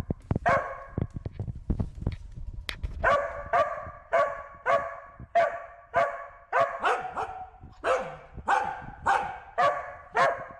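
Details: Wynee the Corgi barks steadily as she herds a bee, a long run of loud, ringing barks about every half second, preceded by a few seconds of knocking and shuffling noises.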